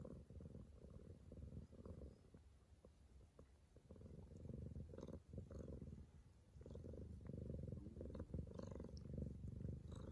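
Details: Bengal cat Neyteri purring at home around 6:30 am while giving birth to her first kitten; a steady low rumbling purr with soft fluctuating breaths, faint clicks and rustles above.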